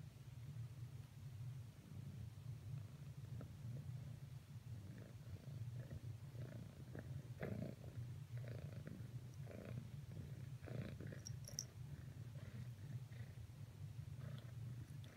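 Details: A domestic cat purrs steadily while trying to cuddle with another cat after earlier cuddle attempts failed, a low continuous rumble with a rapid, even pulse throughout.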